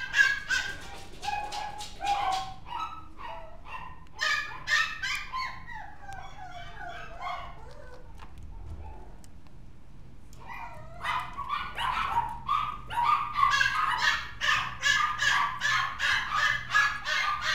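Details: Mixed-breed dog alternating quick yaps and drawn-out whiny yelps, falling silent for about two seconds in the middle, then bursting into a dense, rapid string of shrill barks toward the end.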